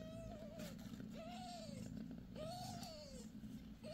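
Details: Domestic cat Bassy, a mother six days after giving birth to five kittens, indoors: thin, arched mews that rise and then fall, about one per second, four in four seconds, over a steady low hum.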